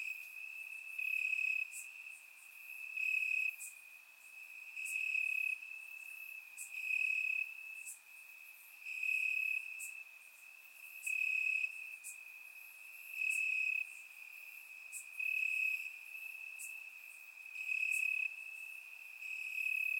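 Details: Warm summer night in Bulgaria with crickets chirping in the grass: a continuous high trill pulses louder in regular bursts about every two seconds, ten or so swells across the stretch.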